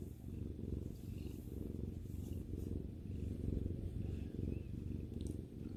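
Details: Pet cat resting with its owner, purring in a deep continuous rumble made of rapid fine pulses, swelling slightly in loudness midway, with a faint tick near the end.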